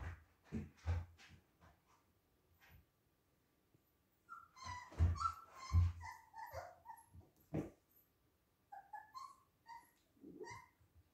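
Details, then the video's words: Siberian Husky puppies at play, giving short high whimpers and yips mixed with soft thumps and shuffling, sounds coming in irregular bursts with quiet gaps between. "Весёлые малыши хаски"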